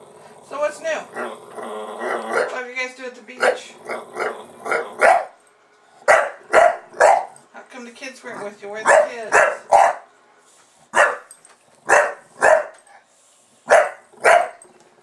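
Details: Buster, a pet bulldog, barking at a camera once it is switched on; a few seconds of mixed voicing and low grumbles, then short sharp barks repeated in loose pairs and singles about every second, indoors.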